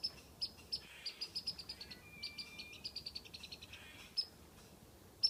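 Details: Squirrel up a tree whistling while teasing a cat: a fast series of short, sharp, high chips, roughly one per second or quicker, with a thin sustained whistle in the middle over quiet outdoor background.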